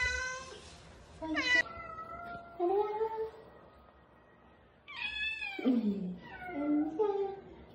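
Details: Kitten meowing insistently indoors, one of several found crying after falls or hours alone in bushes. About six high, harmonic cries come in two clusters, some sliding sharply downward into a lower wail, with quiet room noise between.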